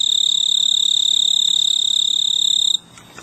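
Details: Male snowy tree cricket on a large purple clematis bloom on a veranda in mid-August, stridulating to attract a mate; a steady, high, even pulsed trill holds for nearly three seconds, then stops abruptly, leaving faint background hiss.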